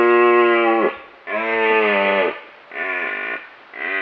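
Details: Close-up red stag giving a series of loud harmonic roars, three long bellows of about a second each with short gaps between, the pitch dipping at the end of each, and a fourth beginning as it ends.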